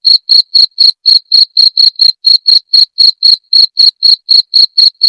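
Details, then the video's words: High, piercing cricket chirps used as a rat deterrent, evenly spaced at about four each second, around twenty pulses in all, with a tiny hitch near the two-second point and nothing else audible. "Suara Jangkrik pengusir tikus"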